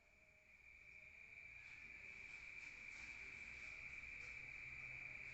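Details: Crickets at night in a rural setting, heard from inside a room: a steady high continuous trill holding one pitch, rising slightly in loudness at the start, with low background rumble.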